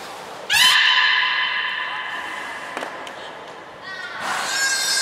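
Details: During a beluga training session with Hodoi, Gray and Mirai at the Port of Nagoya Public Aquarium, December 2019, one loud harmonic tone bursts in, holds steady for about two seconds and tapers. A click follows, then a rougher, noisier burst near the end.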